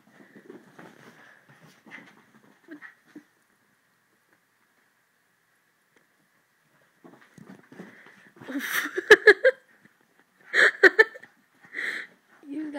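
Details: Hopper and Inigo, two dogs, play fighting: soft breathy huffs at the start, a silent gap of several seconds, then loud rough bursts and brief harsh vocal sounds in quick groups near the end.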